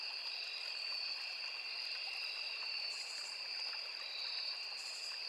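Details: Crickets in a riverside forest sing a steady, high double-toned trill, joined by brief fainter buzzes higher up, all over the constant trickle of a small stream.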